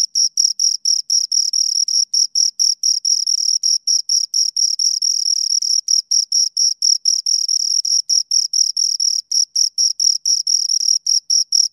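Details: Crickets, two of them, chirping right at the ear: a sharp high tone in fast repeated pulses, dense and rhythmic, with brief silent gaps and no other sounds.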